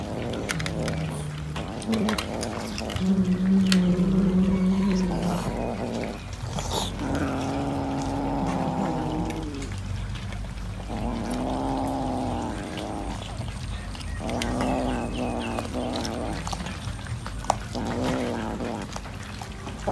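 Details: Cat eating fish, giving low, drawn-out, moaning vocal sounds with rich harmonics, several long tones in succession broken by short pauses, plus chewing and handling noise throughout.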